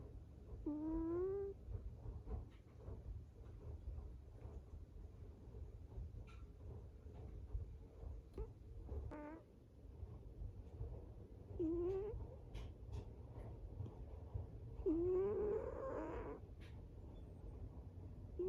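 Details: Cat asleep and snoring, with short rising squeaky notes at uneven intervals amid soft breathing and faint rustling clicks.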